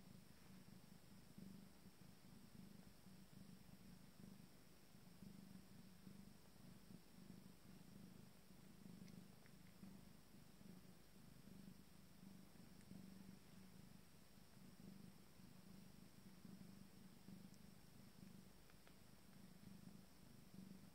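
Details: An Abyssinian cat purrs steadily during the feeding of her first litter of 5-day-old kittens, a low rhythmic rumble rising and falling with each breath.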